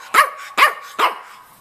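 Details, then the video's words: Three short, sharp yips spaced about half a second apart from Stanley, a red rough-coat Brussels Griffon male, roughly two and a half years old, at home in Miami. "Stanley Talking"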